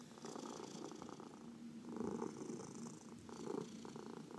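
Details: Short stretch of a pet cat's purr while being massaged: a fluttering low drone in three breath cycles, strongest around two and three and a half seconds.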